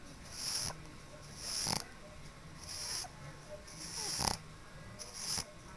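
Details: Sleeping pug snoring loudly, with five rasping, hiss-heavy breaths at fairly even intervals of just over a second, each swelling then cutting off sharply.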